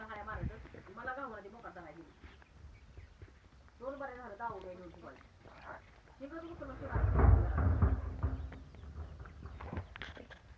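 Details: Goats giving two sets of shaky, trembling bleats, followed by a burst of low rumbling noise and thuds.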